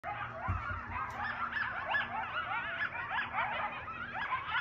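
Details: Backyard coyotes in a frantic chorus of overlapping yips, barks and wavering, quavering howls.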